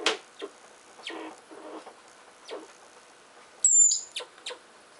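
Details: Richardson's ground squirrels scuffling as they dig: repeated scratching and scraping noises, then one piercing high whistle that dips slightly, followed by more quick scrapes.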